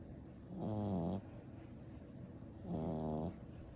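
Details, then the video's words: French Bulldog puppy, ten weeks old, black and brindle, snoring while asleep: two low, rasping snores, each about half a second long, separated by quiet breathing. "Frenchie Puppy Baby Sleeping and Snoring"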